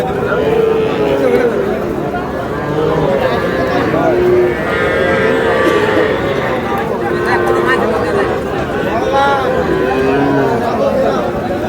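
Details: Small bull and heifer calves at a Noakhali livestock market on 21 July: several short, steady, mid-pitched calf moos come and go throughout, partly buried under dense market chatter and men haggling over prices.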